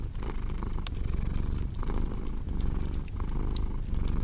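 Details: Domestic cat purring steadily in a deep, rumbling drone, the rhythm swelling and easing with each breath, while sharp pops and snaps of a crackling fireplace sound over the top.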